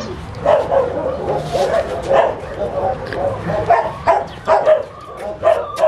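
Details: Puppies yipping and barking in short bursts, several high-pitched yaps scattered through the clip, with human speech in the background.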